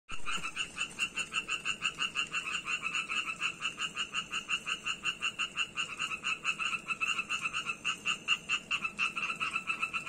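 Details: Tree frog from Georgia calling continuously; rapid, rattling pulses repeated about four times a second, each a bright, nasal, harmonic-rich croak, loud and steady throughout with no other clear sounds.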